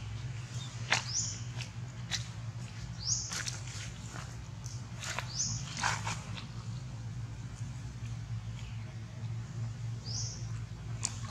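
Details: Baby monkey calling its mother: a few short, high, upward-sliding squeaks spaced seconds apart, with scattered clicks and knocks over a steady low hum.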